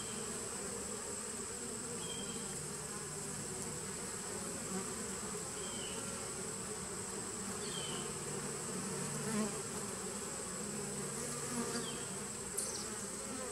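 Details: Honey bee colony buzz from a 2017 nucleus hive on 19 September 2018: a constant low hum with a steady high whine, a few faint short chirps scattered over it, and a small click near the end.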